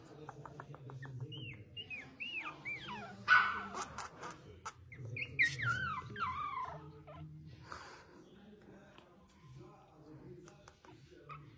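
A Pomeranian puppy gives high, wavering whines and short yelps over a low background hum.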